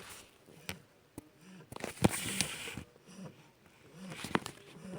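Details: One-month-old Shar Pei puppy snoring: soft, low nasal rumbles rise and fade roughly once a second, with a few sharp sniffs and clicks breaking through indoors.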